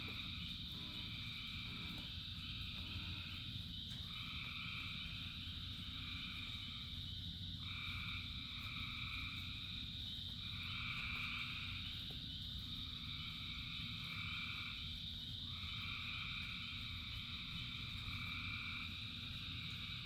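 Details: Rainy night chorus of countless frogs: layered high trills and buzzy calls pulse in repeated bursts of one to two seconds, all above a steady hiss and patter of falling rain.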